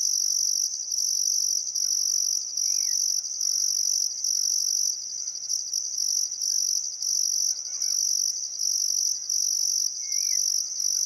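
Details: Crickets chirping at sunset by the Barcoo River in Welford National Park, Outback Queensland, on a still summer afternoon; a dense, continuous high trill pulsing in bursts under a few faint distant bird calls.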